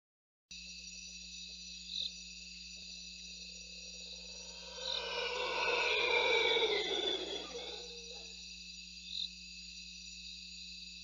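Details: A mantled howler monkey gives a deep, swelling roar that builds, peaks and fades over steady insect hum, heard in the early morning hours on a live cam at a Lance-tailed Manakin display perch.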